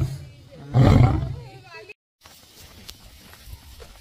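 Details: Angry lion at Sepahijala Wildlife Sanctuary, Tripura, giving one loud, deep, rough roar lasting about half a second. It fades into quiet background with faint voices and a brief silent gap.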